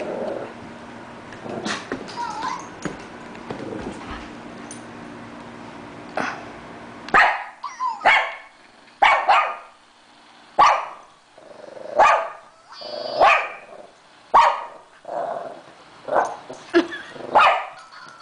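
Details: Chasing her toy hamster, Chloe the 3-year-old Shih Tzu yips and barks; scattered noises open the recording before a brisk series of high, sharp barks from about 7 seconds, some in quick pairs.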